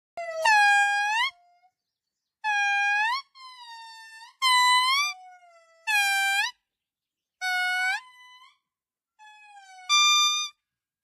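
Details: An indri, a lemur, at the Palmarium reserve, Ankanin'ny Nofy, gives loud, horn-like wails. Each note swells and rises, repeating every couple of seconds.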